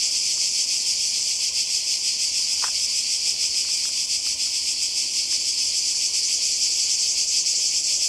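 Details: A steady high-pitched cicada chorus by the sea in Croatia in summer, rapidly pulsing and unbroken, with one brief sharp click near the start.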